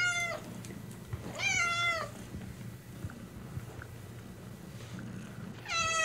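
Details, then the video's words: Short, high meows from a domestic cat: three bright calls that bend up then down, with quieter gaps of low indoor hum and faint rustling between them. "SOUNDS OF AMERICAN CATS 2023"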